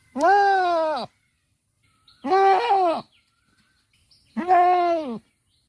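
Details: Goat bleating on a farm: three loud, wavering, nasal bleats, each about a second long, rising slightly and then falling, spaced roughly two seconds apart over a quiet background.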